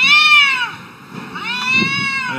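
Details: Two arguing cats trade long, tense, wailing yowls, each held about a second, with a brief dip between them. Low background murmur underneath.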